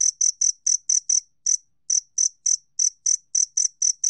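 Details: Rapid, high-pitched ringing chirps of a two-spotted cricket, National Institute of Biological Resources, 2020, coming in slightly uneven bursts of several pulses with brief gaps between, against complete quiet.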